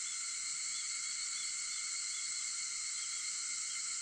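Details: Early-morning cicada voices at 4:50 on August 4, forming a dense, continuous high buzzing hum that holds level from start to finish.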